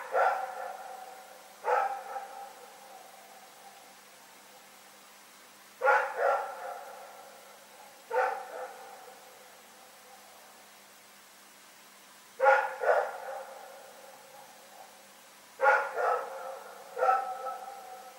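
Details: Nighttime barking by a dog named Rex, February 27, 2018. Resonant barks come in pairs and single shots every two to four seconds, each with a lingering reverberant tail. Nothing else intrudes on the quiet.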